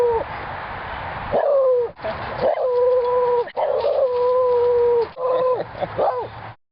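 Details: Visiting beagle from next door sings while Mango the mastiff and Dexter the labrador listen: long, steady, mellow howls held on level notes, each ending in a short downward or upward slide, about five drawn-out phrases separated by brief breaths.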